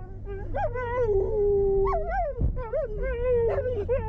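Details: Pet Siberian husky howling alongside German shepherds in response to passing police sirens: wavering, yodel-like howls that rise, dip and warble, broken by a brief pause midway, with engine rumble underneath.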